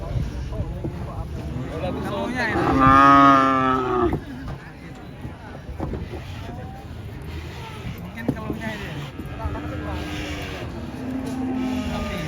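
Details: Angry cow being unloaded from a truck: one loud, drawn-out moo lasting about a second and a half, rich in harmonics, over low rumbling background noise and fainter lowing later.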